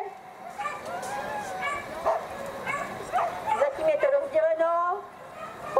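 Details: Female classic Whippets at the start of a race at the Grand Prix Lednice, Czech Republic, giving high whining yips and rising whimpers, layered over people talking.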